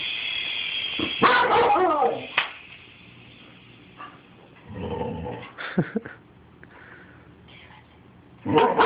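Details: Pet dog Rusty barking at a toy helicopter: a burst of rough, noisy barks early, then scattered shorter barks and yips separated by quieter gaps, with the helicopter's high whine fading in and out.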